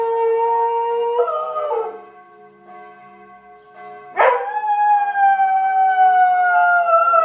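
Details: A Border Collie named George howls along with church bells, as he does at noon and 18:00 each day. A level drawn-out note rises then fades, a short pause follows, then a strong new howl starts and slowly falls beneath humming bells.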